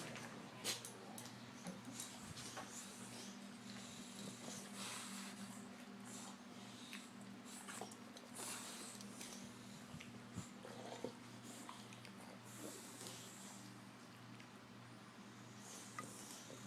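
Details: A sleeping 5-year-old English Bulldog snores in soft, raspy breaths that come every two to three seconds.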